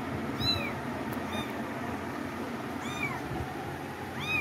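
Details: High, downward-curving meows from cats, four short cries in irregular spacing, with a brief click near the start and constant low background noise throughout.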